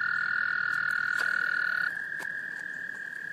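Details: American toad males in a small South Carolina pond, Laurens County, March 2014, calling in females to breed: one sustained, even trill held nearly two seconds, then overlapped by another trill at a slightly higher pitch.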